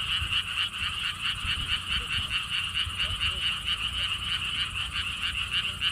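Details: Frogs calling at a lotus theme park with a stone wall path in Siheung, Korea: a dense chorus of rapid, pulsed croaks repeated about twice per second, steady and continuous, with low wind rumble underneath.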